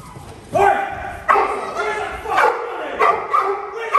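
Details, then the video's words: Cane Corso in protection training, a home invasion drill, barking to contain a mock criminal; deep harmonic barks start about half a second in and repeat at irregular intervals, with human speech mixed through. "Cane Corso dice Active Home invasion focusing on extended hood and bark criminal containment"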